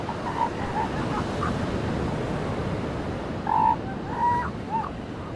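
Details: Seal pups on a beach giving short, tonal wailing calls, a pair of brief cries early on and two stronger, slightly wavering calls past the halfway point, over a steady wash of breaking waves.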